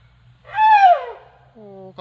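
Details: A tuskless male Asian elephant calls loudly to beg for food while waiting for grass to be tossed. A bright, harmonic squeak bends gently downward over about 0.7 seconds, then a softer, steady tonal sound follows with low background hum.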